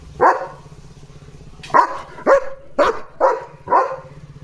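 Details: Leo, a German Shepherd, barks at another dog outside while a man speaks Marathi nearby; six sharp, loud barks come in an uneven burst after a short pause, over a faint low engine-like drone.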